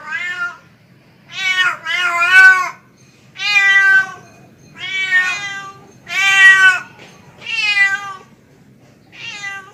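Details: Tomcat calling to a female cat, producing seven loud, strained meows in under ten seconds, some doubled or rising and falling in pitch, spaced roughly a second apart.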